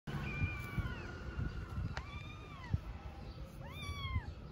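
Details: Mother cat with her kittens, a stray in Istanbul that constantly licks and cleans them. High arched mewing calls, several short rising-falling mews, some overlapping, over steady low background rumble.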